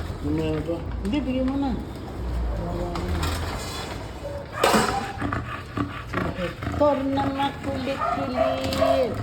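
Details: Hector, a playful and affectionate American Bully, gives drawn-out, tonal whining moans in several bursts, some rising and falling, with people talking in Tagalog over and between them.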